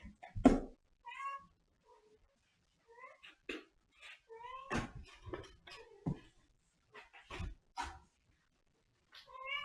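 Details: Cat indoors giving several short rising and falling harmonic meows, some chirp-like, spaced through the recording between sharp clicks and knocks.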